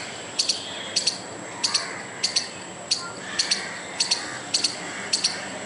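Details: Agitated squirrel trying to scare away a dog and a person, giving crisp double chips at a steady pace of about one pair every 0.6 seconds, nine pairs in all, against a steady faint background.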